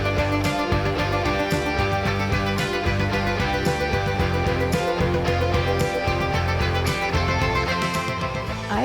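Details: Lively country fiddle music plays throughout with a voice speaking over it, and no animal sound stands out.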